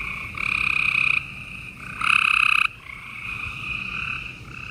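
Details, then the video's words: Spring night chorus of gray treefrogs in Houston, Texas, 28 April 2020: two strong, harsh pulsed trills, each under a second, stand out over quieter continuous trilling from more distant frogs. "Gray Tree Frogs Chorus"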